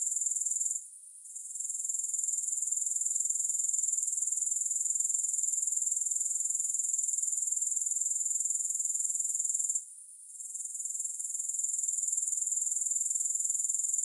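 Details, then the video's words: Grasshoppers, heard with no music added: a continuous piercing high trill with rapid regular pulsing. It drops away twice, briefly, near the start and again toward the end, then resumes at full strength. "3 Hours of Grass Hopper Sounds"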